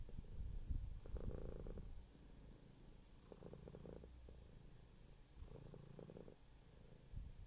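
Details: A domestic cat purrs steadily, a deep rumbling drone strongest at the start, then swelling in rhythmic breaths roughly every two to three seconds.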